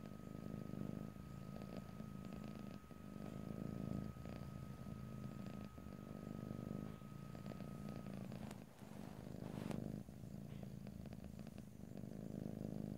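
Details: A cat purring ear to ear in stereo without speech: low throbbing purr rising and falling in breath-length waves, a brief dip and a couple of sharp clicks near the middle.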